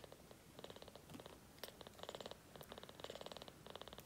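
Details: Kitten purring while drinking formula milk: a soft, rapid rattling purr in short bursts of about half a second, with quiet pauses between them, recorded close up indoors.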